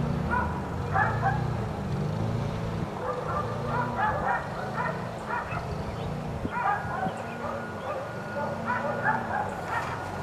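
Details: Four dogs left outside all day by neighbours, barking continuously: repeated short overlapping barks from several animals, some higher yips, with a steady low rumble of background noise throughout.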